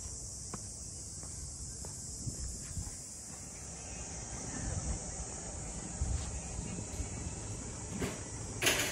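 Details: Cicadas droning at Ine no Funaya, a port townscape of traditional boathouses north of Kyoto, Japan: a steady, unbroken high-pitched buzz throughout, with footsteps clicking along the walk and a louder scrape near the end.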